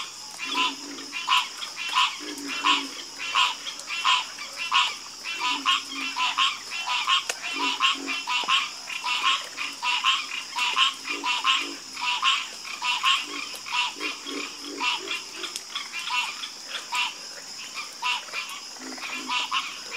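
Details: Frogs croak together in a harmonious chorus, short raspy notes repeating steadily at roughly eighty-five per minute, some callers lower and hoarser, over a constant hiss.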